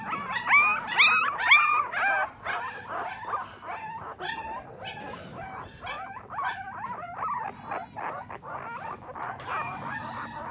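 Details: Chubby, energetic male bulldog puppy giving strained whimpers and whines, a few clear rising cries at first, then rougher, noisier whining repeated roughly twice a second, with background rustling.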